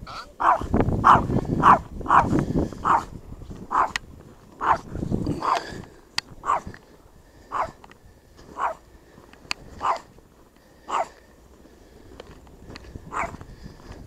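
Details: Small Chihuahua, Mosya, barking after an attack by a shepherd and another dog: dense run of sharp barks with low rumbling noise early on, then single barks spaced roughly a second apart, a few faint clicks between.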